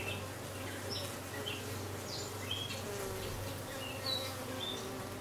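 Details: Dark queen honey bee, new arrival, recorded 6/5/13: constant low-pitched humming buzz with soft overtone bands, backed by scattered high bird chirps and whistles.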